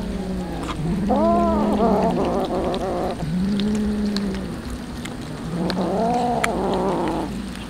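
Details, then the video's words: Hungry street cats fed tuna, arched rising-falling meows repeated about three times with lower moaning tones between, steady background rumble. "Feeding yummy tuna fish for hungry cats"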